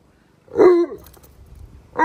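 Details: An Alaskan Malamute, one of two giant dogs named Tonka and Monroe, complains about filthy green pool water. A brief wavering woo-like howl is followed by the start of another, with little else around it.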